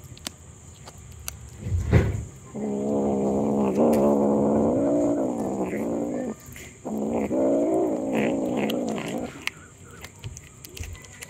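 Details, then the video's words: Hungry domestic kitten meowing non-stop: two long, drawn-out meows with a wavering, slightly sliding pitch, the first lasting about four seconds and the second about two and a half, after a short soft thump. "Cute Cat Meowing Sounds - Non Stop Meows"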